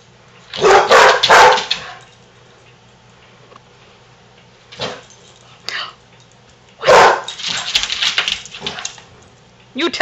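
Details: Two Basset Hounds playing indoors, a resident and her foster sister, give loud, rough barks and bays in short bursts, with a person talking.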